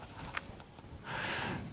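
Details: A hungry deer at a garden in Mae Sot, Thailand gives a short, breathy, hissing cry after a faint click, apparently crying out for more food after feeding.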